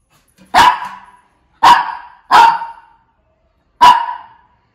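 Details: A Shih Tzu gives four loud, clipped barks, the middle two close together, against a silent background.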